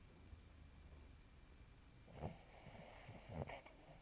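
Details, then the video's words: Old dog asleep indoors, snoring: a few short, rough, low snorting breaths arrive in the second half, roughly every half second, over a quiet room with a faint steady high whine. "my old dog SNORES like hell LOUD !!!"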